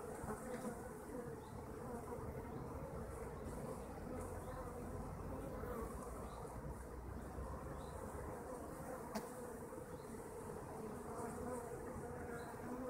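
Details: Kept honeybees filling the air with an unbroken low droning hum, steady in loudness, with a single sharp click near the middle and soft high chirps repeating at the top.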